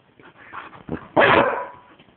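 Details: A female dog vocalising as if talking about her day: soft low grumbling sounds build up to one loud, harsh bark that trails off.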